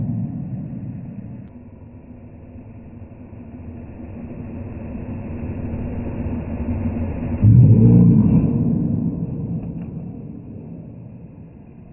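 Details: A hairdryer gives a steady low motor hum that swells loudly around the eighth second, then fades. No animal voice is heard.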